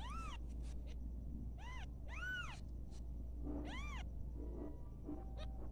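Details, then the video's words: Playful newborn domestic kittens mew repeatedly, thin arching cries about every second or so, several overlapping, with a constant low hum underneath. "cute sa newborn baby"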